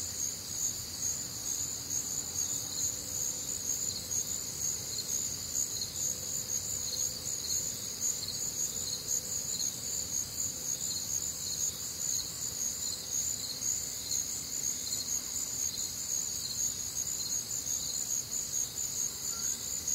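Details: Crickets among other nocturnal sounds on a humid, warm summer night in the Midwest; constant high, ringing trills stacked in bands, steady throughout, over faint low-frequency background noise.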